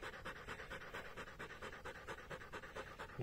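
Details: Polish Hunting Dog Hektor breathing heavily with an open mouth after running alongside a bike for 22.5 km in the heat. Hoarse, even in-and-out puffs repeat quickly and steadily throughout.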